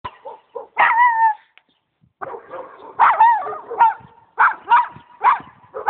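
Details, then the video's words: A pet dog barking: short sharp barks in uneven bursts, some drawn into a brief yelping whine, with a quiet gap near the middle before barking resumes. "barking dog"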